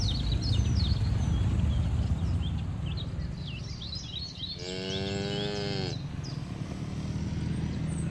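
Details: Grazing cattle in a green field. Midway comes a bright, level moo with many harmonics, lasting just over a second. Twittering birdsong precedes it over a constant low rumble.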